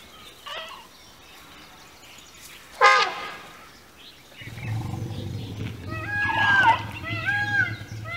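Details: Three rescued elephants at an Elephant Rehabilitation Center: a short loud trumpet blast, then a low continuous rumble overlaid with a series of high, wavering squeaks rising and falling.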